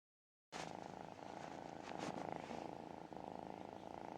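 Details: Tiny kitten softly purring with contentment while being cuddled, calm and relaxed; a steady, quiet, rhythmic rumbling vibration runs throughout after a brief silent start, with light handling noise.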